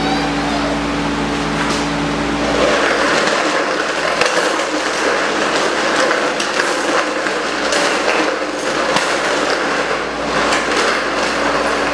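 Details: Loud broadband rumble and rattling like a passing vehicle or train dominates, with faint speech and no animal voice.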